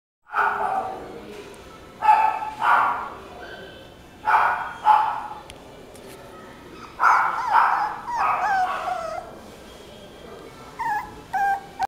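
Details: Male Kaninchen Dachshund giving short, harsh yips in bursts near the start, around two, four and seven to eight seconds, with a thin, brief whine near the end and quiet gaps between.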